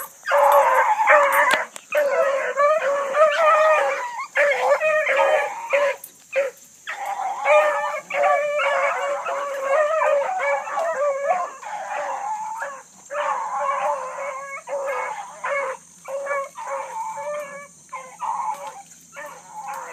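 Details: Bluetick Coonhound pack running a big rabbit that circled a couple of times, early morning; loud, continuous bawling and chopping bays from several hounds pile together, easing slightly toward the end, with a constant high hiss.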